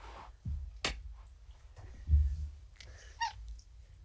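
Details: Morticia, a pet cat, purring while being petted during evening kitty therapy indoors: a deep, low, rumbling pulse running steadily underneath, broken by several sharp clicks and rustling handling noises.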